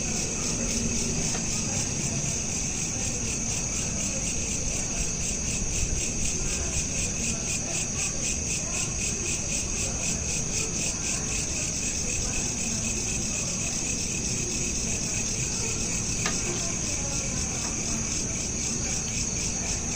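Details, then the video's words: Crickets calling at night, taken with a smartphone: an unbroken train of fast, even, high-pitched pulses over a low steady hum, with one brief click midway. "Night Lamp Ambience with Crickets (Looped) | Calm Night Sounds for Sleep"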